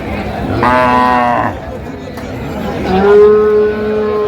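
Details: Two loud moos from a cow at the Ambari haat livestock market, Dinajpur, on 17 October 2025, where cows with calves are traded: a nasal, rich-harmonic low call, a pause, then a longer steady moo, with faint market chatter behind.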